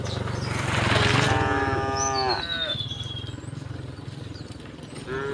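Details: Tame, calm cows give long, rich moos with a steady pitch, then another moo starts, while being herded together across a wooden bridge to green fields in the countryside.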